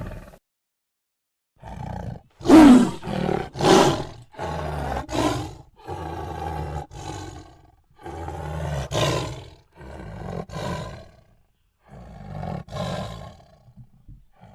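A tiger gives a series of deep, rasping roars and growls in bursts.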